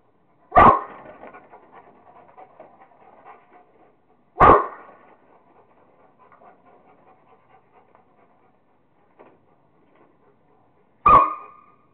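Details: Rottweiler named Kingston having fun playing with a squirrel: three sharp, loud barks spaced several seconds apart, with steady panting and breathy snuffling between them.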